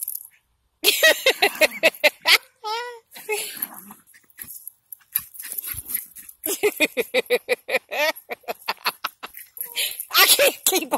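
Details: Pair of Jack Russell Terriers barking and yapping in fast irregular runs, with a brief whining yelp early on, continuing almost without pause to the end.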